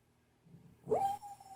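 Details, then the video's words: Pet female dog whimpering in her sleep during a bad dream indoors; a soft rustle, then a high, thin whine that holds steady for about half a second and briefly returns more quietly. "Dog has bad dream"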